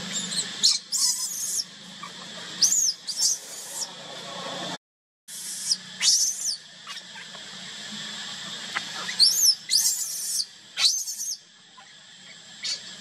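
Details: Lone baby monkey, left by its mother, cries in repeated high, quavering screams and squeaks arriving in clusters, with a brief silent gap midway and a low steady hum underneath.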